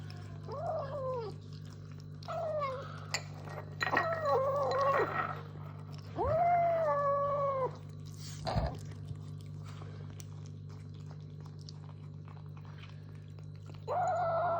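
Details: Kitten making funny noises while eating: short arched mewing cries at intervals, some wavering and drawn out, separated by quiet gaps with a steady low hum underneath.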